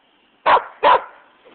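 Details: Flint, a West Siberian Laika, barking for an orange toy while a Shiba Inu named Conker plays nearby; two loud, sharp barks about half a second apart, with a quiet hum underneath.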